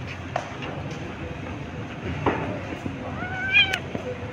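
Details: Hungry stray kittens on the street meowing for food while fighting over a single fish: one clear, rising then falling harmonic meow near the end, with fainter short calls earlier over a steady street-noise hum and a brief voice.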